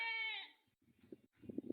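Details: Domestic goat on a farm around a newborn kid just after an unexpected birth, in the afternoon; one clear wavering bleat falling away after half a second, then soft rustling and muffled thumps.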